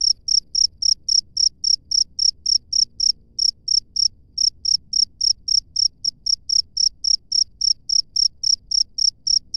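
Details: Wild cricket in open nature, giving a steady run of short, high, bright chirps, nearly four per second, with one brief gap midway; faint low rumble underneath.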